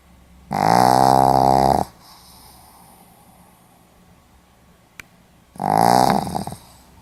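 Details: Pomeranian asleep, filmed in Hiroshima on 4 November 2015: two droning, tonal snores, the first over a second long and the second shorter, separated by about four seconds of quiet breathing and a single faint click.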